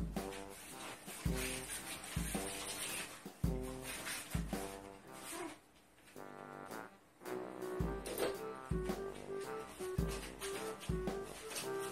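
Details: Jazzy instrumental music with brass and saxophone, Kevin MacLeod's Fenster's Explanation, plays in a small room with a bouncing rhythm and no animal voice heard.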